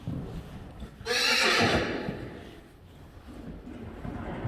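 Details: Friesian horse filly, one of several weaned about a week earlier, playing in an arena: one loud, harsh, breathy neigh lasting about a second, then quieter background noise.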